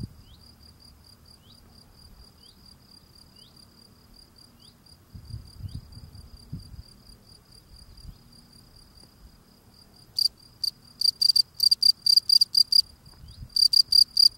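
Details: Male field cricket singing while cleaning the steps at its burrow entrance: faint, steady high chirping at first over low rustling, then from about ten seconds loud, bright chirps in quick bursts, several per second with short pauses.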